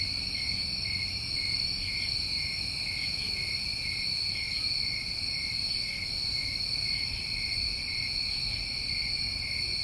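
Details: Summertime crickets recorded in New England, a steady, unbroken chorus of high shrill trilling layered in several bands, with faint rapid pulsing, over a low rumbling background hum.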